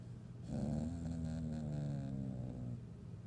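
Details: Annoyed pet dog indoors, grumbling while another dog walks around the room looking for a toy; one low, rumbling growl with a buzzy harmonic tone lasting about two seconds, steady in a quiet room.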